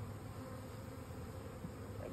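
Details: Honey bees humming in a steady, low, droning buzz that holds even throughout, with no other clear sounds.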